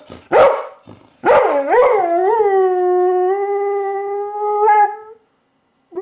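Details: Dog howling while communicating with people. Two short harsh yelps are followed by a rising, wavering onset that settles into a long, smooth, even howl lasting about four seconds, then stops abruptly.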